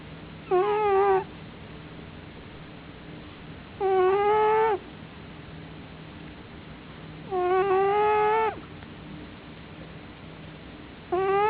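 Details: Domestic tomcat sleeping in darkness, snoring very loudly. Drawn-out, harmonic-rich whistling tones, slightly wavering in pitch, recur regularly about every three and a half seconds with each breath, with quiet background hum between.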